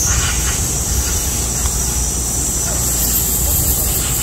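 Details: Midsummer cicadas during a heatwave give a very loud, steady, high, hissing drone that never breaks.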